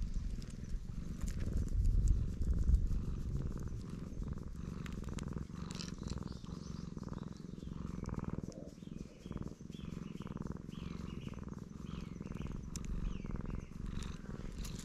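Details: Loud, continuous purr from a stray black cat enjoying being petted, recorded with a GoPro. The deep vibrating rumble pulses steadily, with small scuffs and handling noises over it.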